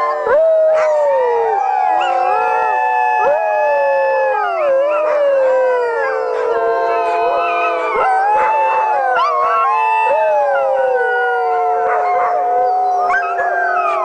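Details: Chorus of howling sled dogs, many voices overlapping in long wavering tones that rise and fall, sustained without pause and punctuated by a few short yips and clicks.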